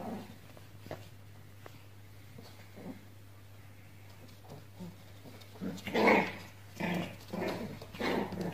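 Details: Pomeranian puppies playing indoors: mostly quiet with faint soft scuffles at first, then a run of louder growly yaps and whimpering squeals in the last few seconds over a steady low hum.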